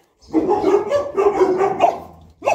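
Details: Boerboel from the couple Enzo and Diva in Egypt, barking while playing; a run of deep, rapid barks for two seconds, then a brief pause and a fresh bark at the end.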